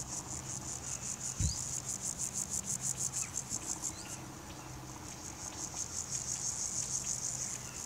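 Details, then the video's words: Grasshopper producing its sound by rubbing hind legs against forewing edges, recorded on a Nikon P900 with Raynox macro attachment; rapid high-pitched rasping pulses in two bursts separated by a quieter pause, a brief thump early on. "Grasshopper Stridulation"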